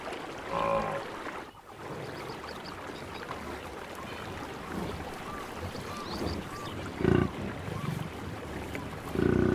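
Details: Wild buffalo in their natural savannah habitat, giving short, deep, harmonic grunts near the end, one after another, over a steady background hiss with faint distant bird whistles.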